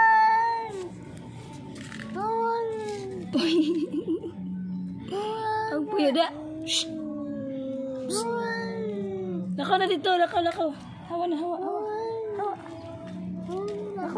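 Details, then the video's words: Angry cat yowling with long wavering drawn-out moans that bend up and down, interspersed with short choppy yowls, with a person speaking and music in places. "Angry cat is making weird noise"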